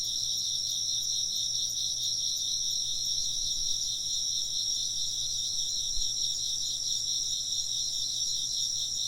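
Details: Insect voices fill a calm ambient recording for work or sleep: bright, continuous high trilling in several layers, evenly loud and gently pulsing from start to finish, with a faint low thud near the end.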